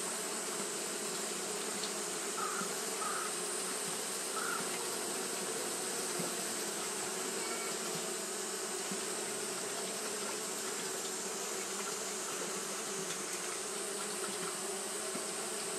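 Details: Japanese honey bees fanning continuously on a hot day, a dense, steady hum with layered low drones and an even hiss that never breaks; a few faint short tones rise briefly near the start.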